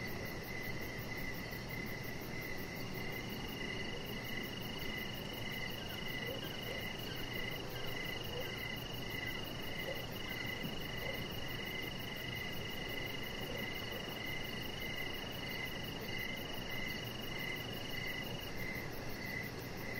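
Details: Evening crickets near a lit-up deck, their high chirps pulsing in an even, unbroken rhythm beneath a faint steady whine and a broad background hiss.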